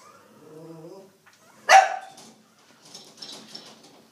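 A miniature schnauzer puppy gives one sharp, high yap after a soft, low voice.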